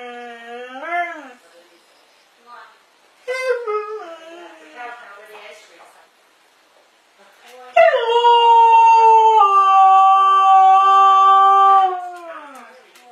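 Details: A talking pet dog answering its owner: short rising whimpers and a human voice at first, then a loud, steady, drawn-out howl of about four seconds that drops away at the end.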